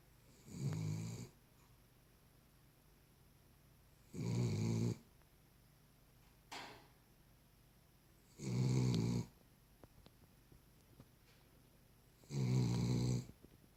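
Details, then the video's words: Sleeping Cavalier King Charles Spaniel snoring in a small room, four low, raspy snores spaced about four seconds apart, with a faint click between breaths. "Cavalier King Charles Spaniel snoring."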